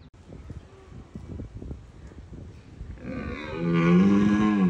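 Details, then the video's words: Rutting red deer stag at Bushy Park warning off rivals: low rustling and thumps, then a deep, steady, drawn-out roar rising in loudness over the last two seconds. "Roaring Wild Red Stags Compilation"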